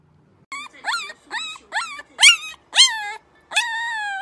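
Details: Puppies in their first attempts at howling give a quick run of short rising yelps and whimpers, about seven high cries in four seconds, ending in a longer held howl.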